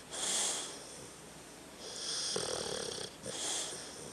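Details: Dog called Tucker snoring while asleep: three wheezy, whistling breaths in quick succession, the middle one longer with a low raspy rattle beneath the hiss.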